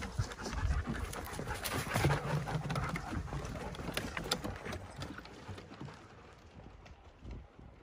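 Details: Ten German Shepherds playing together; quick, noisy panting breaths, roughly three or four per second, with low thumps and scuffling from movement, fading toward the end.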